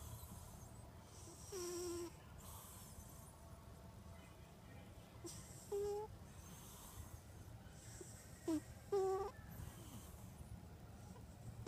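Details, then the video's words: Domestic cat snoring while asleep after eating tuna: short whistling, nasal tones on each breath, several spaced a few seconds apart, over a low steady breathing rumble. "The snoring cat...i ate tuna and fell asleep"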